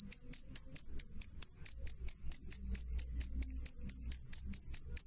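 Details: Loud cricket chirps ring out clearly, with sharp high pulses in an even rhythm of roughly three or four per second and a soft low rumble beneath.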